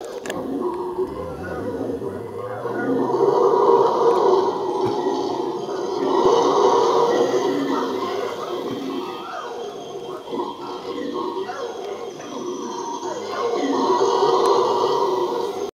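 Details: Howler monkeys in Tayrona National Natural Park, Santa Marta, Colombia, roar in deep, rasping swells that rise and fade over several seconds.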